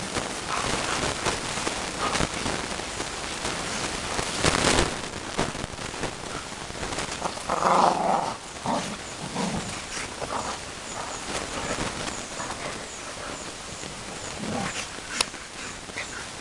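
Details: American bulldogs play fighting at home, low rough growls and scuffling noises, with a burst near the middle and scattered thumps and clatter throughout.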